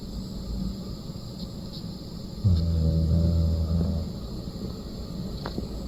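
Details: A dog snores in its sleep: one low, rumbling breath of about a second and a half rises out of a soft background hum, followed by quiet.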